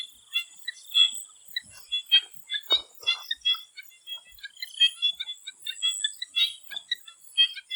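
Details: Swamp frogs calling in Thailand before sunset: a dense chorus of short, clicking and croaking notes tumbling over one another at varied pitches, over a steady high hiss of insects.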